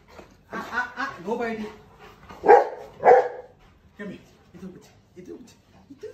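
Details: Rottweiler dogs greet their owner, excited as he comes home from the grocery store. Warbling whiny cries are followed by two loud, abrupt barks a half second apart, then softer short yips, mixed with a man's voice.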